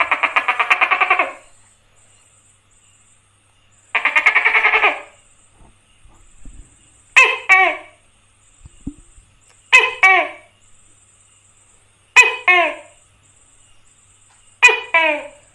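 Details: Tokay gecko (tắc kè) calling: two long buzzy, rattling bursts followed by four loud two-part 'to-kay' calls, each a sharp falling note then a lower one, repeated about every two and a half seconds, with a faint steady hum behind.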